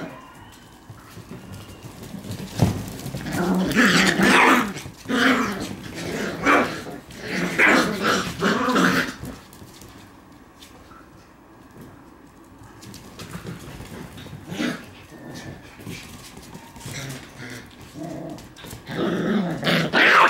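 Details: Shiba Inu puppy romping wildly indoors, giving rough growls and short yappy barks in dense bursts during the first nine seconds, then a quieter stretch before more growling bursts near the end; room sounds and scuffling throughout.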